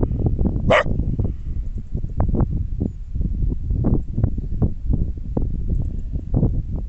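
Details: A Border Collie on a mountain barks in short, repeated bursts at its own echo across the valley, over a steady low rumble of wind.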